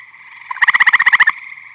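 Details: Eastern gray tree frog calling at a vernal pond full of tree frogs in Michigan in spring or summer: one loud, short pulsed trill of about eleven rapid even beats over a steady droning chorus of other frogs.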